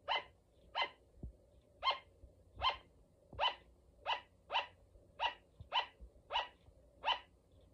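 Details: Luna, a female pet sugar glider, gives a steady run of eleven clipped, yelping barks, each brief and bright, repeating about every 0.7 seconds against near silence with a few soft knocks.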